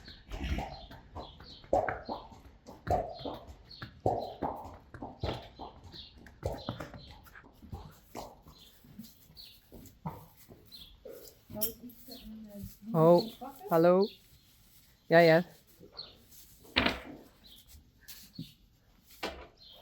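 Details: Two quavering neighs in quick succession from a Friesian horse, after a run of short thuds and knocks, followed by a brief further call and scattered rustling.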